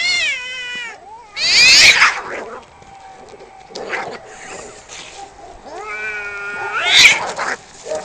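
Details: Cats in a fight trade long wailing yowls broken by harsh explosive hisses and screeches, with a sustained lower growl-like tone between outbursts.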